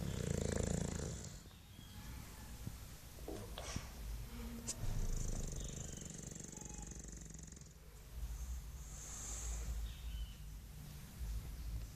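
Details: Mike the English Bulldog snoring in his sleep while sucking his tongue; deep, vibrating rumbles rise and fall with each breath, broken by a few quick clicks and short high hissing exhalations.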